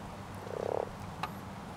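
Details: A common frog in a spawning pond gives a single short, purring croak made of rapid pulses, followed by a faint click against quiet background hiss.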